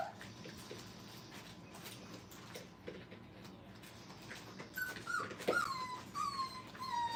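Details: Five-week-old Brittany puppies playing indoors at a training kennel. Quiet room hum for the first seconds, then a run of high, thin whines sliding downward, each short and repeated several times toward the end.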